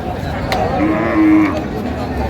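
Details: One sustained, even-pitched lowing from a cow with calf at the Raniganj cattle market, Dinajpur, 20 October 2025, lasting under a second. Buyers discuss milk yield nearby, with a sharp knock and crowd noise.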